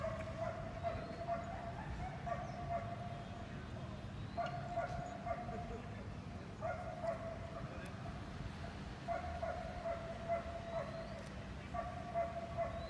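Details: Belgian Malinois being trained at Hanoi's seventh working dog competition in Vietnam: clear, resonant barks repeated in quick groups of two to four, steady low droning noise underneath.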